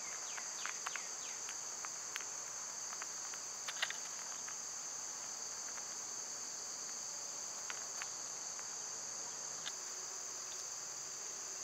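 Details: Cicadas and other summer insects calling, a steady high-pitched hum holding two thin, even tones throughout, with scattered short chirps and clicks of birds over the top.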